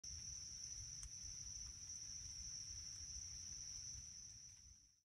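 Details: Cicadas chirp in a damp wooded meadow on Turkey Mountain, New Jersey, in 2023: a steady, high-pitched ringing drone holding one unbroken tone throughout.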